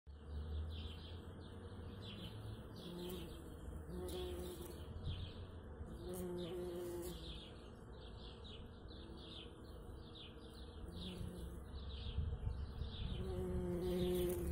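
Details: In spring, a bumblebee pollinating a blossoming cherry tree in a natural garden gives a low, droning buzz that rises and falls in pitch, with small birds chirping steadily behind.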